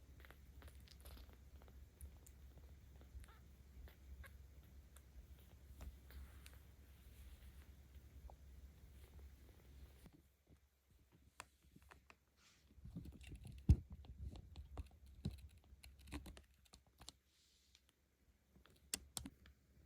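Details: A 17-day-old kitten, Ao-chan, in volunteer care in Tama City, Tokyo, on 10 October 2022, rumbles with a low continuous purr as she is petted for about ten seconds; the purr then stops, leaving scattered taps and handling noises.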